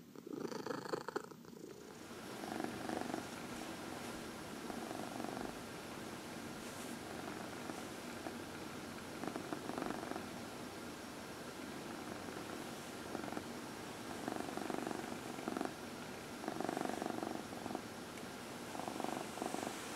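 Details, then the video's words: Domestic cat purring steadily while being massaged, one of four cats in the household; a soft continuous rumble with a fast pulsing rhythm, broken by brief rubbing and handling noises, after a louder rustle in the opening seconds. "Four Purring Cats — Cat Massage"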